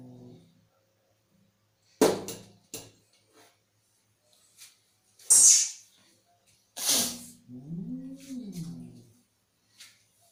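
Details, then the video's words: Agitated cat spitting short explosive hisses several times, then a longer hiss that runs into a low, arching yowl that swells and falls away. "Angry Cat Sound"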